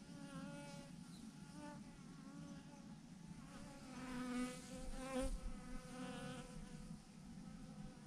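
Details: A massive clump of honey bees hanging from a branch hums with a dense low drone, while passing bees add rising and falling whining buzzes that swell loudest in the middle.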